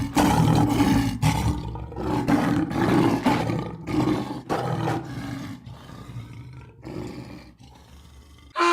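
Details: Lioness roaring: a series of deep, throaty roars and grunts that rise and fall in loudness, with the later ones growing softer.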